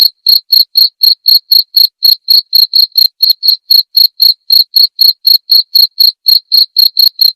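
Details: Crisp cricket chirps from a recording for teaching white-rumped shamas, played nightly: high, tonal pulses in a fast regular series of roughly four a second, slightly uneven near the middle, with nothing else audible.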